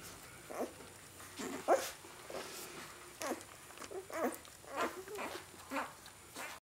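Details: Great Dane puppy, four days old, whimpering in brief tonal squeals, several bent and wavering, repeated roughly every second or two with quiet shuffling between them.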